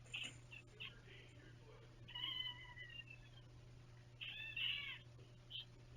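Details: Cat at Kitten Academy during an indoor mailbag unboxing: a short high chirp, then two drawn-out, bright, harmonic-rich meows about two seconds apart, the second louder and wavering. A steady low electrical hum sits underneath.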